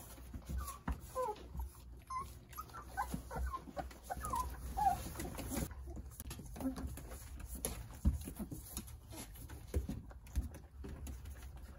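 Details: Nine Jindo puppies toddling and playing under the care of their mother, Sarang: a cluster of short, high squeaky whines and yelps in the first five seconds, then soft shuffling, patter and pawing sounds.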